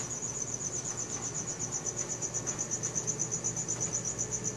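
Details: Short run of night cricket chirping, Samsung Galaxy S4 recording: a piercing high trill pulsing evenly about four times a second over quiet low hum.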